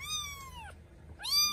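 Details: Kittens in the morning giving two clear high meows, each a long harmonic-rich tone that slowly falls in pitch, separated by a short pause, in a quiet indoor setting.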